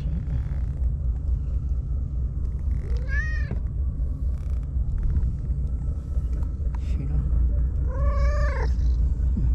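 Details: Lone white stray cat living on tetrapods by the sea in Japan greets a visitor warmly; two drawn-out, bending meows about five seconds apart over a steady low rumble of wind and surf.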